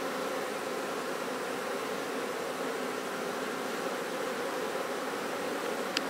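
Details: Honey bees at a bee farm raising honey, with a mustard flower field mentioned; a dense, steady, broadband buzzing hum of many bees without pause, and a single sharp click near the end.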